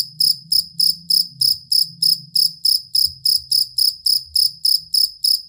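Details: Jangkrik kalung or fighting cricket, whose steady, long song serves as master material for songbirds, chirping in evenly spaced shrill bursts about three times a second over soft low background hum.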